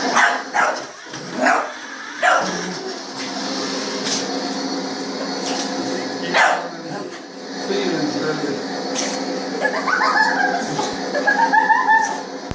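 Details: Pet dog barking at a remote-controlled toy Hummer, the only thing it ever barks at, with barking making it sneeze; a few sharp, short barks in the first seconds, then people talking and laughing over a steady hum.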